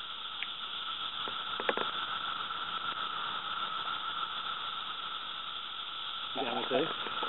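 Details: A dense Magicicada periodical cicada chorus (Brood II) in North Edison, New Jersey, in 2013, measured at 109+ dB, with about six cicadas overhead; a steady, high droning buzz with people briefly talking.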